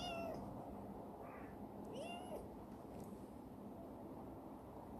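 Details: A formerly stray black female cat named Chibikuro, rescued and kept in a warehouse, lets out a short meow, then a fainter one and a rising, sliding meow about two seconds in, with a low background hum.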